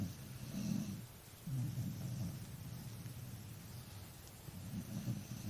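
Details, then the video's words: Snoring from a tired dog, deep grainy rumbles swelling and fading with each breath, roughly every one to two seconds, over soft background hiss. "snoring doggy"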